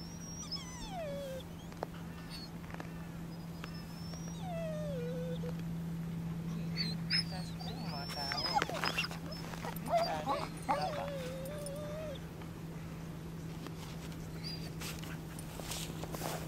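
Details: In Helsinki, Finland, the Lagotto Romagnolo Max, 2 years 4 months old, lets out repeated short, sliding whimpers and squeaks. Scattered thumps and rustles are heard between them over a steady low hum.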